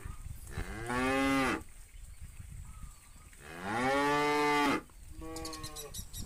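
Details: A herd of tame cows in a large countryside field in the afternoon, with bulls calling the herd back to the farm pen. Two long, drawn-out, harmonic moos about three seconds apart, a shorter fainter moo after, and distant lowing in between.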